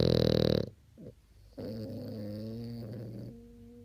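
A French Bulldog snores with a rough, harsh snort and then a droning, buzzy hum.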